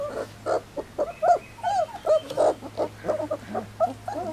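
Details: Three-week-old Standard Poodle puppies on their first day outdoors make a busy chorus of short whining squeaks and yelps, rising and falling, overlapping in quick bursts, with a steady low hum underneath.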